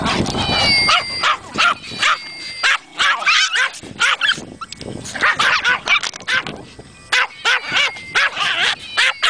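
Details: Several dogs at Kingcreek Kennel react to a meow with rapid bursts of high yipping barks, some overlapping, broken by brief pauses while faint meow tones drift underneath.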